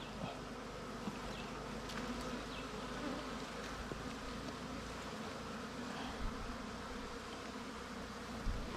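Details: Swarming wild bees around a nest opened in honey hunt season: a dense, continuous buzzing drone that holds steady throughout, with faint rustling underneath.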